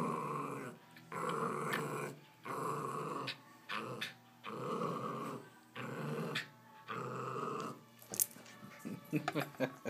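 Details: Female Jack Russell Terrier playing with a young golden retriever, growling fiercely; repeated harsh, buzzy growls roughly every one to two seconds, ending with scuffling and thumping sounds.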